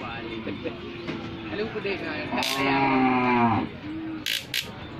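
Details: Cow whose leg was broken when a car struck it lets out one strained, sustained low moo that dips at its end, with people talking nearby and brief clatters.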